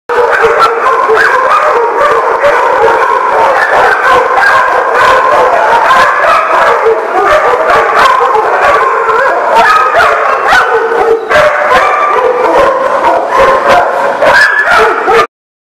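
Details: Dogs recorded on 30 March 2018, a dense overlapping chorus of barks and drawn-out howls going on without pause, several animals calling at once with sharp yelps breaking through the steady din.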